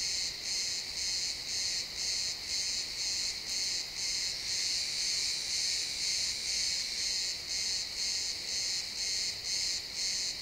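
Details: Pine forest at sunset with crickets chirping, captured in realtime XY stereo: bright, shrill trilled pulses about twice per second, regular and unbroken, with quiet ambient woods behind.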